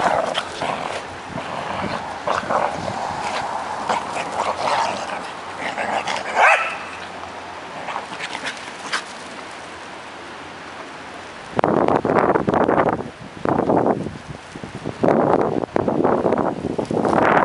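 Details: Corgis give sharp, repeated barks and yips in quick bursts, loudest in the second half, as one chases another around a merry-go-round during the morning routine.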